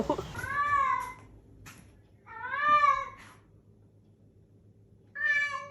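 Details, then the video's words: Domestic cat in a quiet room uttering three clear, drawn-out meows, each a smooth arched cry about a second long, spaced by roughly two-second pauses, with a faint low hum behind. "Strange meowing sounds and talking cats"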